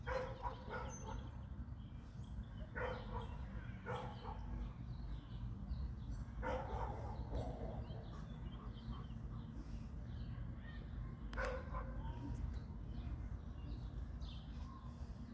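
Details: Barking from one of three dogs (a Boerboel, an American Bully and a Serbian Defense Dog): a quick run of short barks in the first seconds, then isolated single barks, over constant low-pitched background rumble.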